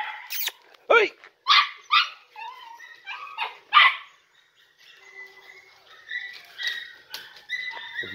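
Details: Podenco Andaluz puppies aged three and a half months in the picadero for the first time; a few separate loud yelps and barks, then quieter scattered yips and whines from the litter.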